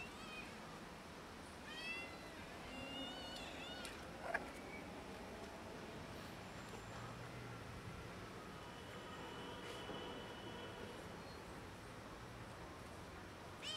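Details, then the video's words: Pregnant cat and a kitten outdoors asking for food with broken meows: a run of thin, high, rising-and-falling mews packed into the first few seconds, then quieter scattered calls over a steady low background hum. "Pregnant cat and kitten ask for food with broken meows"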